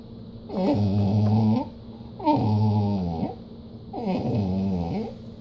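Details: Dog in a home that does not like to share, giving three drawn-out, groaning whines of about a second each, evenly spaced, the pitch bending down at the end of each, over a steady low hum.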